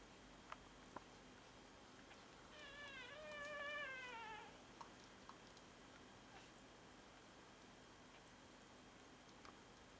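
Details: Two-day-old Berger des Pyrenees puppies: a single faint, thin whining cry lasting about two seconds, sliding downward in pitch, over steady background hiss.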